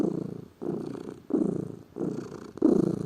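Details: Lazy pet cat purring: low, vibrating rumble in slow swells, about five bursts over three seconds, each lasting around half a second.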